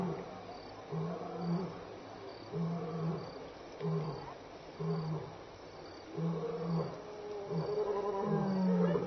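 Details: Contact-calling lion passing Elephant Plains Game Lodge, South Africa, on the evening of 26 May 2011, 6-7 PM; a series of deep, loud grunting roars repeated roughly every second or two, building in strength, with faint insect hiss behind.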